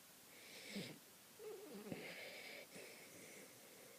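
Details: Misha, a French poodle, snoring: breathy, wheezing rasps in bursts a second or so long, with squeaky, nasal whistles wavering up and down between breaths, in a quiet room.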